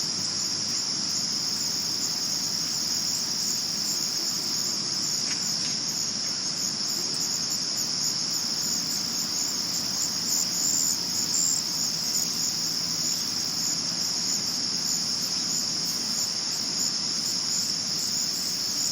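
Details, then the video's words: A cricket chorus at night, recorded in 2022. A shrill, high, even ringing carries on steadily for the whole stretch, with a fainter higher buzz above it and a quiet background rustle. "Cricket Chirp Sounds At Night"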